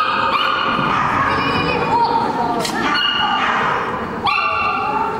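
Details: Poodle giving a few short, high, whining yips with rising starts, spaced about two seconds apart, over a steady background hum with faint human voices.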